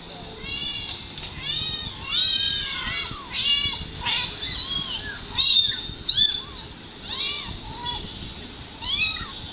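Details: Two young kittens, filmed on a mobile phone and played back to their mother cat, give a stream of high, thin, arching meows, many overlapping, some rising then falling, repeated several times a second in places.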